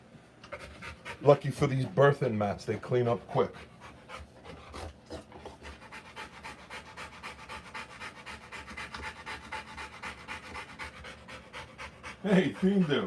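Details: During a Rottweiler's live birth of puppies, close human voices open and close the recording, while the dog pants between them in very rapid, shallow, even breaths, about three per second.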